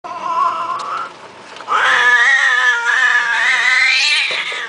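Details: Kittens meowing in long, drawn-out harmonic cries. A quieter wail opens, then a louder, wavering and sustained call rises from about two seconds on and continues almost without break to the end.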